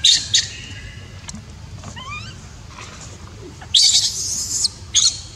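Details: A neglected baby monkey, its mother unwilling to care for it, gives a sharp scream, then faint thin rising notes, then a long harsh high-pitched wail followed by a short final shriek.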